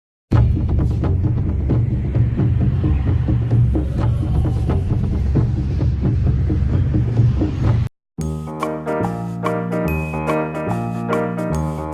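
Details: Loud bass-heavy music with a throbbing beat fills the first eight seconds, cuts out briefly, then resumes as a brighter, cleaner melody.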